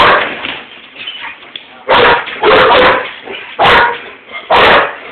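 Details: German Shepherd and Rottweiler indoors barking at something outside a window, chasing each other; a low rumble and scattered sounds give way to four loud, broad barks in the second half.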